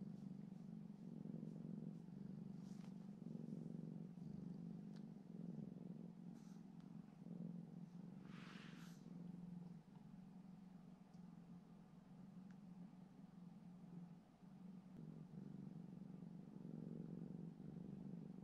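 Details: Ura, a rescued cat living alongside a dog at home, purring softly during a gentle shared moment; a steady low rumbling purr with slow rhythmic swells throughout, one brief higher rustle near the middle.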